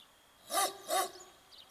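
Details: Dog nicknamed a barking white bear, beyond the Volga in Rybinsk on Sacco and Vanzetti Street, possibly at a hole it gnawed itself; two short, harsh barks about 0.4 seconds apart over faint background noise.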